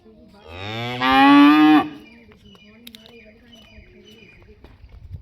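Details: Young Jersey heifer calf for sale in Punjab gives a single loud moo lasting about a second and a half, a nasal rising call that breaks off abruptly, followed by faint background clatter.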